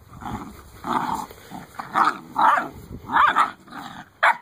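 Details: Eight-week-old Great Dane puppies in a litter, making overlapping whiny, grumbling vocal bursts of mid pitch, several short pulses rising and falling over about four seconds, ending with a sharper yelp.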